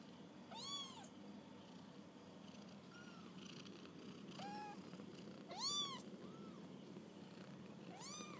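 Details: Kittens on their first walk about call repeatedly: about six thin, high meows, rising and dropping in arched shapes, some louder and some faint, spaced irregularly against low background noise.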